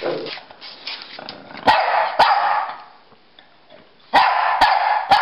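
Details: Pekingese and Bulldog playing chase indoors; loud rough barks and growly yaps in bursts around two seconds and again near four to five seconds, with sharp clicks between and a man's voice nearby.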